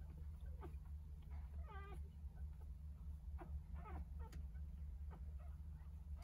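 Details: Newborn litter of nine Jindo puppies, three days old, with their mother Sarang nursing them at home; sparse thin squeaks and one wavering whine, separated by pauses, over a constant low background hum.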